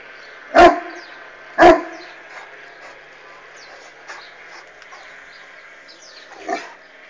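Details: Barking of an Irish Wolfhound directed at a passing hot air balloon: two strong deep barks one second apart, then quiet background with faint chirps and a softer bark near the end.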